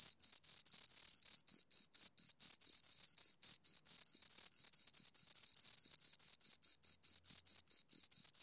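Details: Close-up recording of two crickets giving quick, regular bursts of piercing high chirps, about two per second, each pulse sharp and clean with nothing else audible.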